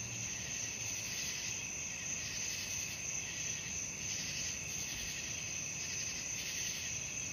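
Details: A nighttime cricket chorus for lulling to sleep: continuous shrill, buzzing trills that beat in rapid waves, with a soft low drone underneath.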